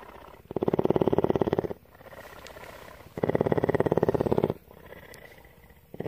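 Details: Loud rhythmic purring from a female cougar named Tawney, kept at CARE rescue in Bridgeport, Texas. Two long, even stretches of fast fluttering vibration, each over a second, alternate with brief hushed gaps, and a third purr begins at the end.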